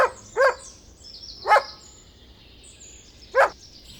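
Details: Dog barking in single, punchy woofs, three barks spaced one to two seconds apart, while birds twitter softly in the background.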